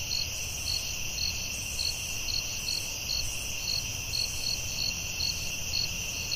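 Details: Night chorus of crickets in a forest, two or so high pulses per second riding on an unbroken, sharp high-pitched hum, with soft low rumble underneath and no other clear callers.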